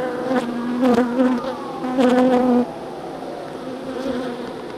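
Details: Close, loud buzzing of honey bees during a move from nuc to hive, strong droning hums swelling and fading in short bursts over a softer background swarm drone.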